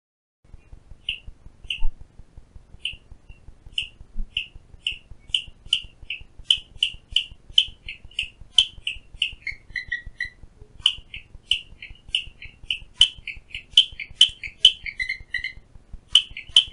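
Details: Clicking Stream Frog recorded outside a window at Phillipskop Mountain Reserve, Stanford, Western Cape, South Africa: a long run of short, high clicks and tocks, some paired, a few dropping lower, with faint low regular ticking underneath.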